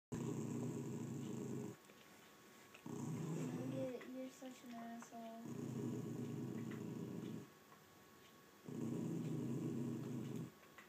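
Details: Rat terrier and American Staffordshire terrier disputing who gets the bed: low rumbling growls in long bursts of about one to two seconds with pauses, a woman speaking softly between them.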